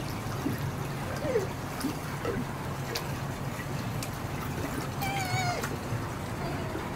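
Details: Lincoln, a young male sea otter rescued as an orphan by Monterey Bay Aquarium, gives a thin high squeal that slides downward and breaks into a few short repeated notes, amid splashing water, handling noises and a keeper's voice.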